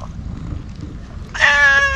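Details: Stray cat wearing a scarf on a cat island, coming up an empty road and being fed Kalkan and Churu; low rumbling background, then one loud, clear, harmonic meow in the final moments, steady and slightly falling.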